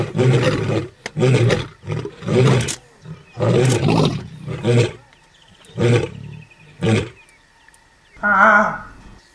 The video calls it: Nature Sounds: LIONS